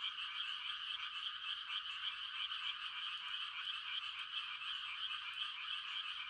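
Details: A night-time country frog chorus of mating calls, a smooth and unvarying mass of fast, high trills from many animals. No separate calls or other sounds stand out.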